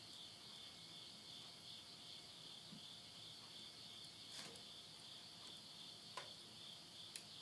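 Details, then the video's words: Insects at midnight in the Tottori countryside, Yurihama, Japan, late summer of September 2020. A steady high-pitched shimmer continues beneath louder cracks and pops of wood burning in a stove. "the voice of insects"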